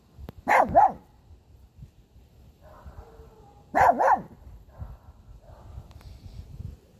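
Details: Domestic dog barking at a car: two loud, sharp double barks, about three seconds apart, with faint quieter sounds between them.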